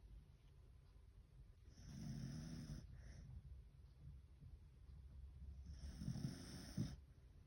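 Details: Beagle named Fukuko snoring while fast asleep after a day of lots of walking, playing and eating; two slow, rasping, low breaths about four seconds apart, with a faint airy hiss and a quiet room between them.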